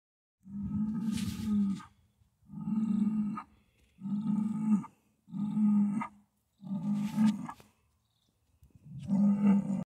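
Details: Hereford yearling bull bellowing to make himself sound grown up: six long, deep, harmonic-rich bellows, each lasting one to one and a half seconds, separated by short pauses of about half a second, with a quiet background.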